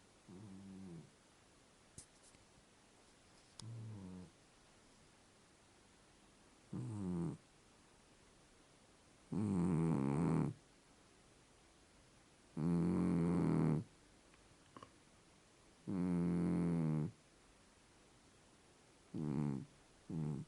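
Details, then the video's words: Fold-eared pet cat Vayt asleep indoors, snoring in a steady rhythm: low, buzzy breaths roughly every three seconds, starting faint and growing louder and rougher, some ending in a raspy harmonic rattle. "Вайт смешной кот храпит и сладко спит"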